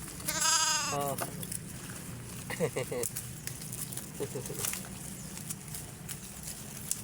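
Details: A young sheep being hand-fed while it learns to eat lets out one loud, quavering bleat early on. People talk and coax it to eat, and rustling and footsteps are heard outdoors.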